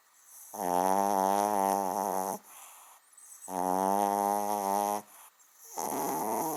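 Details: Small dog snoring as loudly as a big one: long, droning, harmonic snores of about two seconds each, steady in pitch, with short quiet breaths between them.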